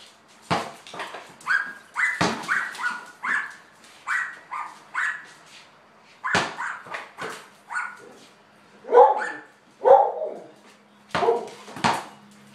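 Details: Border collie named Lady playing ball in a garage: a run of short, high whining yips, some rising then falling, repeated about once a second, broken by sharp slaps of a bouncing ball.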